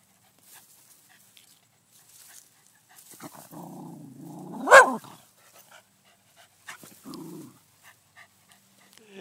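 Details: In an in-laws' garden, a Pembroke Welsh Corgi that had been eating cherry tomatoes off the vine is spooked by the camera. It makes low, tonal grumbles that rise and fall, then one abrupt, loud bark, acting tough while running away. A short grumble follows, with faint rustling.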